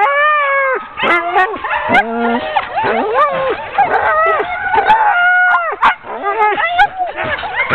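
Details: Sled dogs of a ten-dog team waiting to be hitched for a training run, October 2010, open with a long falling howl, then break into a jumble of eager yelps, whimpers and short barks from several dogs together.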